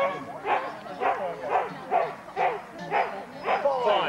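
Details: Huskies at a sled dog race weekend in the Forest of Dean, November 2001, taped on VHS: sharp harmonic barks repeated about twice a second in a steady run, with faint voices in the background.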